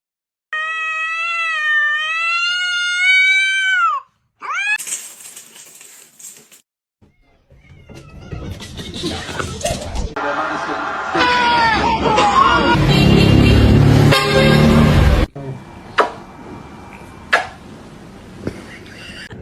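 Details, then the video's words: Kitten meowing and crying: one long, loud, wavering meow lasting about three seconds, then a shorter cry. Music, voices and clattering household noise follow. "kitten meowing crying"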